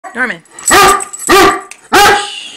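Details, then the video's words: Foster Great Dane vocalizing to say he is ready for breakfast: a short wavering whine followed by three loud, harsh, drawn-out groaning barks, almost like talking. "Great Dane talking"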